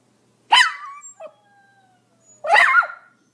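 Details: Pomeranian making two sharp, high yips about two seconds apart. The first trails off into a thin whine, and the second has a bent, wavering pitch. The surroundings are silent.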